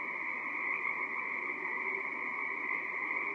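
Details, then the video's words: A dense chorus of Pacific tree frogs on a March night during the herring run off Gabriola Island, BC, Canada: countless overlapping calls merging into a steady, high, buzzing wall of sound with no pauses. "A chorus of Pacific tree frogs"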